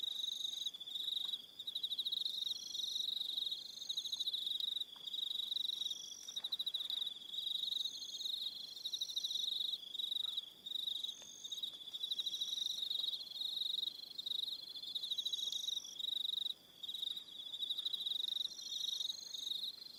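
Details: Crickets calling in the evening on Aroha Island, New Zealand, a continuous shrill pulsing trill that rarely breaks, with higher sustained tones appearing every few seconds above the main chorus.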